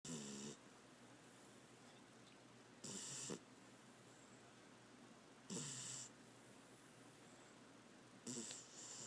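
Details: Beagle sleeping and snoring loudly: four harsh, wheezy breaths at roughly two-and-a-half-second intervals, each a short raspy burst with a hissy upper edge, separated by quiet pauses over a faint steady background hum.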